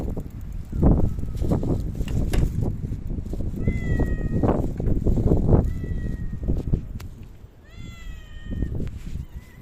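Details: Cat in a park, visited on 3 August 2023 after Typhoon No. 6 had passed; a few drawn-out meows, each rising then falling in pitch, come at intervals over loud wind buffeting and rustling.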